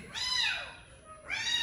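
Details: Cat or kitten meowing: a bright, harmonic-rich meow that rises and then falls away over about half a second, followed by the start of a second meow, with faint speech nearby.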